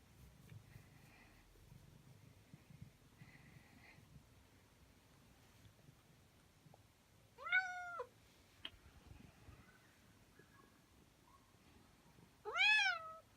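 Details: Nak G, a male pet cat born May 19, 2017, waits indoors for his owner to come home from work and play. He gives two loud, drawn-out meows several seconds apart, each rising then falling, over a quiet room hum.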